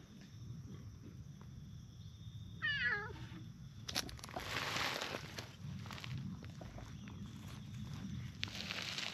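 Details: Stray cats, a brown tabby and a tortoiseshell, sitting on a park bench and being petted in turn; one short wavering meow near the start, then rustling and handling noise over steady outdoor background hum.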